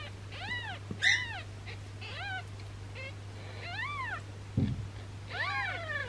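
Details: Tiny newborn kitten with a bloated belly, likely from gas, linked to a massage meant to help: softer, intermittent high mews, about five spread over six seconds, with a dull thump and a low hum.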